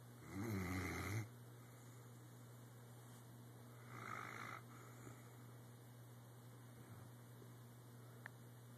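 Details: A Weimaraner snores, with one loud rattling breath followed a few seconds later by a softer one.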